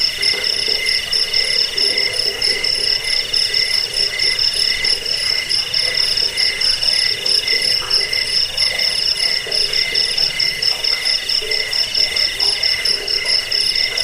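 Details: Cricket chirping, a sound file for driving off rats, lulling to sleep and tutoring songbirds: dense, shrill, continuous pulsed trilling with bright high tones and rapid flickering beats throughout, no pause.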